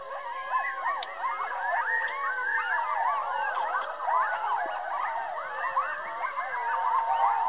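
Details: Pack of about twelve coyotes howling together, a dense chorus of overlapping wavering, sliding tones and quick yips that rise and fall, sustained throughout with no pause.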